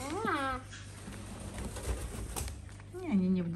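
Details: Mother cat with her kittens, kept indoors in a large house shared with many pets; two drawn-out, arching meow-like calls, one at the start and one at the end, with human speech in between.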